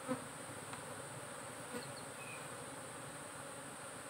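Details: Brief stretch of a managed honey bee colony in its box: an even, unbroken buzzing hum, with a small knock at the very start and another near the two-second mark.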